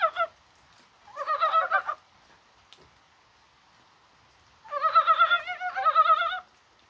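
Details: Mountain brown frogs heard on a rainy 21 January with spring-like weather: a brief cluck, a rapid burst of gulping pulses, a long quiet gap, then a louder two-part chattering run of quick croaks.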